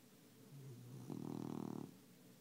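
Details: Tabby cat asleep, drawing one rough, vibrating snore of under a second after a soft breath, the buzzing rattle steady and pulsing.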